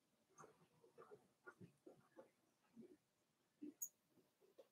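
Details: Four-week-old Cavalier King Charles Spaniel puppies from Daisy's litter in their indoor puppy pen, giving a run of soft, short grunts and low whimpering squeaks in quick succession, with a faint high chirp near the end.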